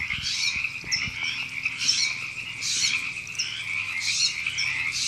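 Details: Frogs at a Los Angeles canyon park in California, April 2017, croaking together: a thick pulsing drone with louder raspy bursts about every second and a half, and quick clicky chirps between them.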